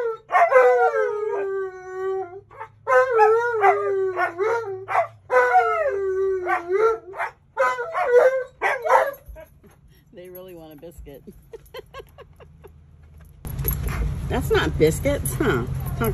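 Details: Siberian Huskies demanding biscuits at a bank, giving drawn-out, wavering, yodel-like howls in several long bursts over the first nine seconds. The pitch bends up and down between bursts. Quieter murmurs follow, then music and voices break in near the end.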